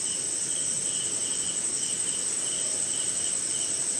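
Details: Rainy night in a forest swamp somewhere in India, crickets and other insects calling; a steady thin high whine continues while a lower chirp pulses in short regular bursts, rain pattering softly underneath.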